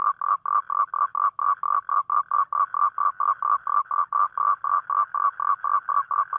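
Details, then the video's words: Toad calling at night, calling for a mate on a rainy night: a steady run of short, buzzy, mid-pitched pulses, about four per second, evenly spaced, with a clean quiet background and no other voices. "เสียงร้องคางคกตอนกลางคืน | The Sound Of Toad At Night"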